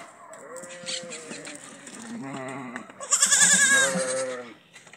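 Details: Goats in a pen, the family grown by newly born kids: wavering, quavering bleats in several pitches, one long, loud, shaky cry near the end, with human voices faintly in the background.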